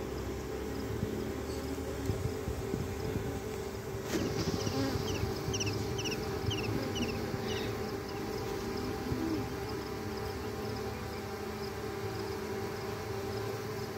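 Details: Honey bee swarm in nature, a colony dividing as the old queen departs with workers and a few drones. A continuous droning hum runs throughout. A snap comes midway, then rapid high bird chirps repeat for a few seconds.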